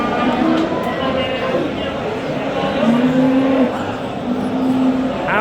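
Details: Simmental bulls for sale at a livestock market in Qorasuv, Andijan region, Uzbekistan: several low, steady moos, one held under a second, over constant market chatter, voices and background hum.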